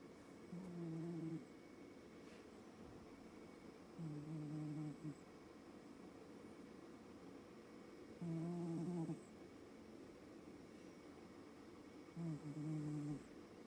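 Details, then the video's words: A sleeping Nebelung cat snoring indoors: four low, droning snores about every four seconds, each lasting roughly a second, with quiet breathing between them in a still room. "Nebelung Vasya is Snoring away"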